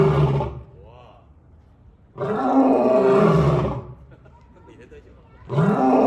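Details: Nine-year-old male African lion in captivity at Cleveland Metroparks Zoo, kept with a female; deep, rasping roars in heavy bursts lasting about a second and a half, separated by quiet gaps with faint background sounds, the last roar cut short.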